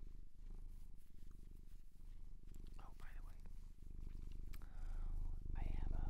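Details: Domestic cat adopted from a shelter in Japan, purring indoors: a steady, low rumbling throb pulsing several times a second throughout, with soft whispered human voice over it and brief higher voice sounds near the end.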